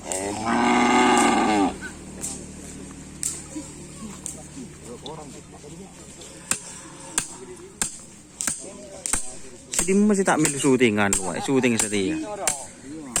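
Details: A newly acquired kerapan sapi racing bull of the Ratu Bintang team, tried out at the Asemanis field, gives one loud, low, drawn-out moo lasting about a second. Scattered human chatter, laughter and sharp clicks follow.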